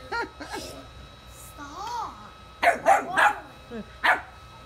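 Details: A puppy scared of bubbles while playing: a drawn-out wavering whine followed by a quick burst of sharp yapping barks, with people talking in Portuguese in the background.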